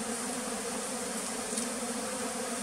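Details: Continuous humming buzz of bees at a bee farm in the flooded forest of West Tonle Sap Lake, Cambodia; an even, unbroken drone.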